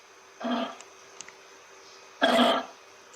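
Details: Kangaroo giving two short, harsh, coughing grunts about two seconds apart, each rough and throaty with a low buzzy base, separated by near-silence with a faint steady background hum.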